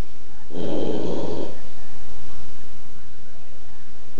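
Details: A sleeping Boston Terrier gives one low, rasping snore lasting about a second, followed by quiet.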